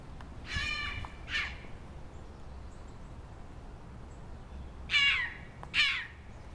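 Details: Red fox calls near a mating pair, from a male complaining at not being chosen as a mate: two harsh, harmonic-rich cries early on, then a quiet gap and two more sharp, falling cries, outdoors.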